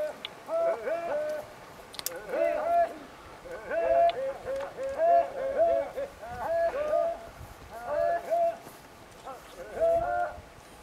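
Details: Kharai camels from a herd of around 500 in Jangi village, Bhachau taluka, Kutch district, Gujarat, where camels cross the creek to reach mangroves; tonal, harmonic moaning calls rise and fall, repeated roughly every second or two in overlapping bursts.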